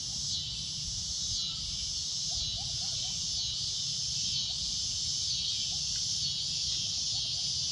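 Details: Cicada droning at sunset: a loud, shrill, continuous buzz held steady throughout, with faint short chirps from other creatures and a low rumble beneath.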